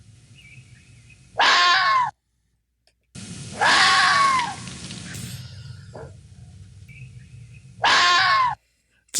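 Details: Red fox screams: three loud, harsh, hoarse cries of about a second each, spaced a few seconds apart, with faint bird whistles in the quiet gaps between.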